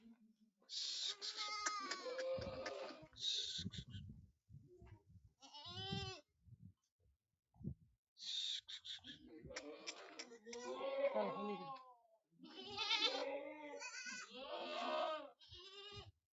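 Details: Goat kids at a farm in Aurangabad, Maharashtra, India, bleating almost continuously: quavering, nasal cries that bend up and down, overlapping one another, with a few spoken words and shuffling in between.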